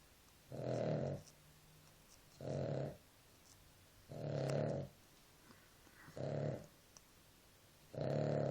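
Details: Dog Nela asleep, producing five grating, low-pitched snoring breaths at regular intervals of about two seconds, the room otherwise quiet.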